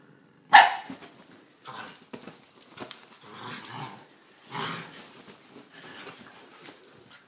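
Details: Italian greyhound dogs playing together on a bed indoors: a sharp single bark near the start, then scuffling, snuffling and soft growly play noises with scattered yips.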